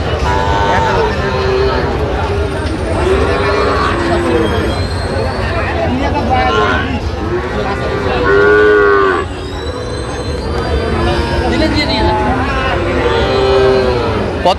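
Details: Sahiwal bull calves among 24 bought by a farmer in Jessore on 12 September 2025. Several drawn-out, arched moos rise and fall roughly every four seconds over steady crowd chatter and low rumbling background noise.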